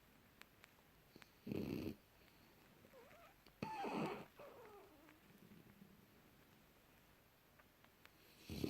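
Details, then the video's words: Young French Bulldog sleeping deeply, January 2018: rough, breathy snores come in short bursts about two seconds apart, with faint whistling nasal tones between them in a quiet room. "bouledogue français rigolos qui ronfle profondément"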